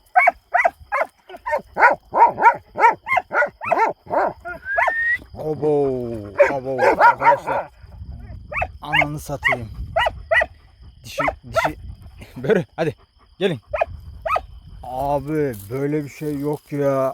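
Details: Kangal shepherd dogs guarding a farm in Turkey at night, rushing out on an alarm as if a wild boar had come; a quick run of sharp, evenly spaced barks, then a man talking loudly over further scattered barks.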